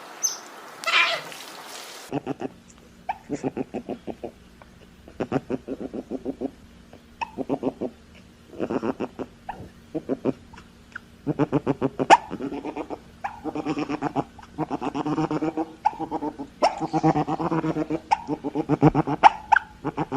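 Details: Otters chattering in rapid, uneven bursts of pulsed, grating notes, with some sharper squeaks among them; the bursts grow denser and louder toward the end, after a short harsh noise at the start.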